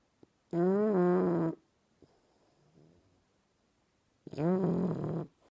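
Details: English Bulldog puppy asleep and snoring: two loud, drawn-out, buzzy harmonic snores, each about a second long and slightly rising then level, separated by several seconds of near silence.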